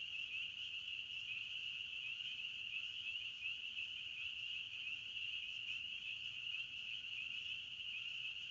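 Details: Crickets chirping in a forest: a steady, unbroken high-pitched trill that holds one even band throughout, with no pauses and only a faint low background hum.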